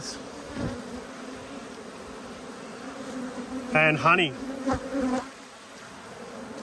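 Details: Angry honey bees during an inspection of two hives, March 2022. A constant low drone holds steady while one close bee passes in a loud, wavering buzz midway, followed by a few fainter passes.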